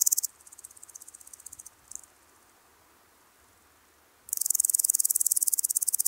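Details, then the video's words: Woodland grasshopper (Omocestus rufipes) at Gaisberg, Austria, on 15 September 2023, recorded with an ultrasound detector: a short burst of high, rapid pulsed chirping, a faint broken stretch, a pause, then a loud stream of fast regular ticking pulses. "Omocestus rufipes -- Buntbäuchiger Grashüpfer -- Woodland Grasshopper"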